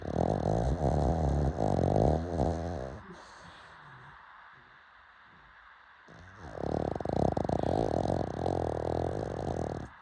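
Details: Pug snoring late at night: two long, rough, buzzing snore bouts with a throaty rattle, separated by a quiet breathing pause of about three seconds.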